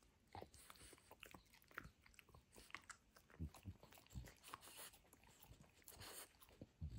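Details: Benedict, a French Bulldog, demolishing his toy dinosaur indoors in a small room: irregular crunchy bites and gnawing clicks come in quick bursts, with louder low thumps every second or so.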